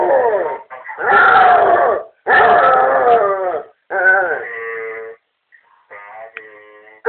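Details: Basset Hound at home, set off by a brother's voice on the answering machine, gives a series of short yowling howls with quivering pitch, then fainter, thinner cries near the end.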